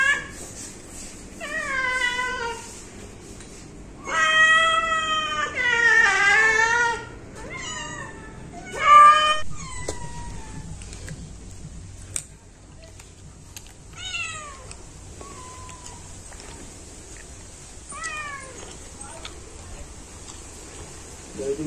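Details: A household cat meows repeatedly in short, wavering bursts, loudest in the first ten seconds, then trails off into quieter, brief downward-sliding mews spaced several seconds apart in a quiet room.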